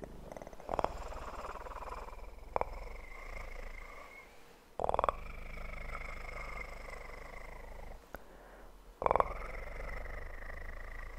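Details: Kitten's steady low purr runs through an ASMR recording, interrupted three times by short loud taps or rustles.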